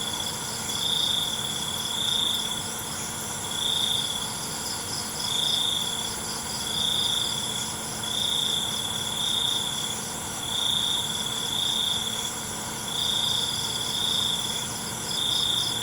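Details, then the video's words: Crickets calling at night, high ringing trills repeated in evenly spaced bursts roughly every second and a half, over a constant bed of insect noise and a faint low drone. "ALUNAN CENGKERIK MALAM"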